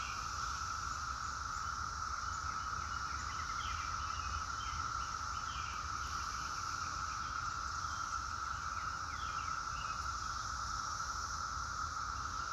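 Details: Cicadas singing in a steady, unbroken droning chorus that holds an even pitch throughout, with a higher hiss layered above. Short chirping bird notes are scattered through the background over a low rumble.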